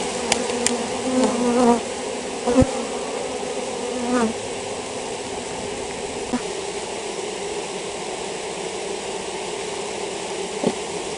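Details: Honey bees from a colony with European foulbrood hum steadily in a low drone, swelling in a few brief louder bursts early on, with faint clicks over the constant buzzing.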